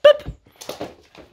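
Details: French Bulldog Loki indoors on a typical morning, being told to fetch a bone during play; a sharp, high whimpering yip opens, followed by softer rustling thumps and faint scuffing.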